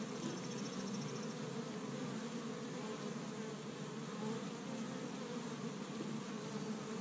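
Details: Established Michigan hive of honey bees working on the first warm spring day, foraging pollen from tree buds; an even, continuous droning hum of the colony, with a faint high pulsing tick near the start.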